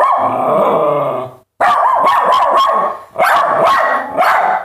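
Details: Dogs barking: a steady, whining harmonic tone held for over a second, a brief silence, then loud overlapping barks and yelps in rapid, uneven bursts.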